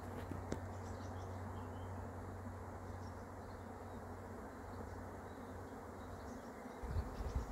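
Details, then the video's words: Swarm of honey bees humming while being caught, a continuous broad buzz over a low steady drone, with a brief rumble near the end. "catching a swarm of honey bees"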